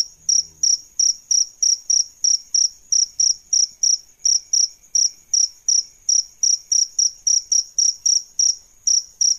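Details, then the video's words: Adult crickets, male and female, chirp in a rapid regular series of shrill high pulses, about three each second, with a soft low thump at the start. "Suara JANGKRIK Jantan dan Betina"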